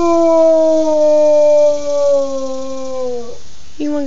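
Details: Domestic beagle howling at home, a sustained harmonic tone gently falling over three seconds, then a short break and a fresh howl starting; an owner speaks softly about going to bed.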